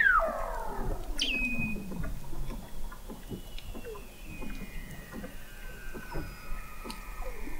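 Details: Under Antarctic sea ice in McMurdo Sound, November 2017, Weddell seals recorded from an observatory 21 m down: a steep falling sweep opens, then a high steady tone and long gliding whistles over a bed of quick repeated downward chirps.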